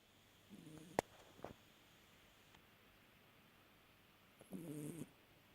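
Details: A sleeping cat snoring: two rough, buzzy breaths about four seconds apart, each lasting half a second with a low harmonic drone. A sharp click sounds in between against a quiet background.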